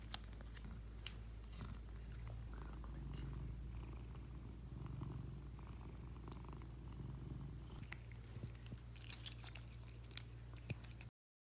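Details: Pet cat dressed in a new lion costume that it likes, purring indoors: a steady, low rumbling purr runs throughout, with soft rustling and light clicks now and then, busier near the end.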